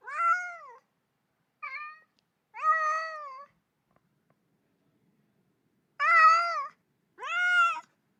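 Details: Lonely baby cat calling mom: five wavering, nasal meows in two bursts, the first three close together, then a three-second silence before two louder, longer cries.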